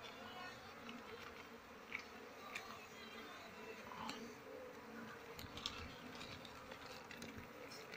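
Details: Honey bees at a hive being harvested in flowering season, with durian in bloom; a continuous low buzzing drone with soft overtones, broken by scattered light clicks and knocks from handling.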